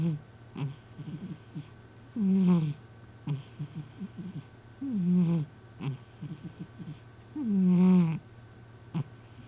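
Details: A sleeping community cat gives human-like snoring indoors. Deep, drawn-out rasping snores with a falling tone recur about every three seconds, separated by softer breathy clicks, over a steady electrical hum.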